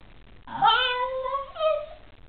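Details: Shiba Inu named Kuma yawning and stretching on waking in the morning: a drawn-out, tonal, whining yawn that holds a steady pitch, then lifts in a brief second rise before fading, clear against a quiet indoor background.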